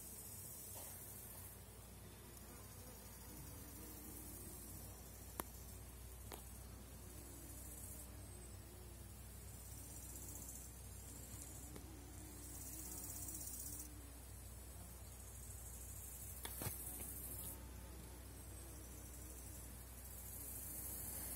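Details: Honey bees in a thriving Polish apiary at season's end, colonies on 4.9 mm cells: a faint, wavering hum of flying bees under a continuous hiss of background noise, with a few sharp clicks.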